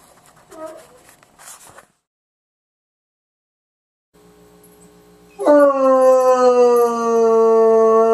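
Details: One of two abandoned bloodhounds, about 2.5 to 3 years old, recently taken in, lets out a long, rich howl that starts strong and slowly sinks in pitch.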